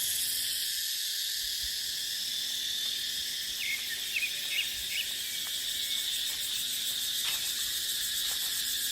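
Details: Cicadas in a dry dipterocarp forest in the dry season, a dense, steady, high buzzing chorus that runs throughout, with a few faint short chirps of other callers mid-clip and wind in the background.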